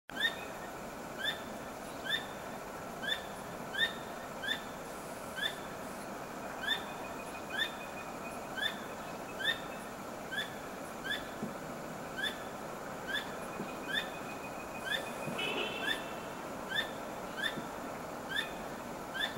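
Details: A squirrel calling at night while repeatedly wagging its tail, not trapped. Short, sharp chirping notes with a downward flick repeat steadily, roughly every second, over a constant hiss of night background noise.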